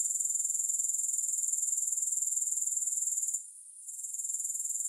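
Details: Grasshoppers, with no music, make a steady high-pitched shrill trill pulsing about four times a second. A brief dip in the sound comes after three seconds before the chorus resumes.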